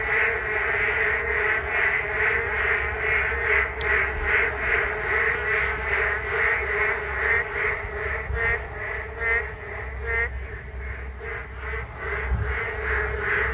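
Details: Many frogs chorusing on a walking path beside the Geum River on a rainy day: dense, quacking, pulsed croaks repeating roughly once a second, layered over a steady low hum.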